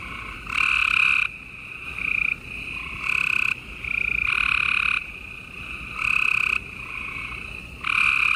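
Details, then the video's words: Night chorus of gray treefrogs in Houston, Texas, late April 2020; several frogs trade short, harsh trilled calls, loud bursts every one to two seconds over a steady background of more distant trills. "Gray Tree Frogs Chorus"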